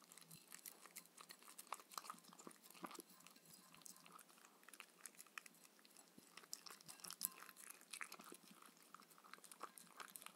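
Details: Shetland Sheepdog Mindy chews her raw kangaroo dinner with coconut oil in the evening, a continuous run of moist smacking and sharp crunchy bites, uneven in tempo, in a quiet room.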